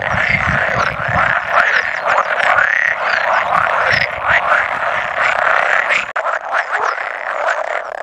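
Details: Pool frog chorus of roughly 100 males at spawning, 16 May 2017, two edible frogs present; overlapping nasal croaks roughly once a second, with a brief near-silent gap after six seconds before calling resumes.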